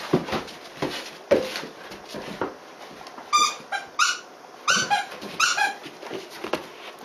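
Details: Dobermann puppy, 76 days old, playing with an older female Dobermann on 5 August 2016 at 15:50, jumping at and nipping her; soft thumps and scuffling, then a run of short, high, squeaky whimpering yelps in quick bursts.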